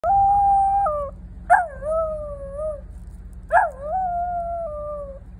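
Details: A female Pembroke Welsh Corgi howls in long, sustained notes, each starting with a sharp yelp, at the end of a howling bout set off by a passing fire truck.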